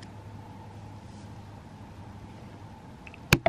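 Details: Quiet indoor room hum with a steady low drone, ending in two sharp clicks or knocks, with no animal voice.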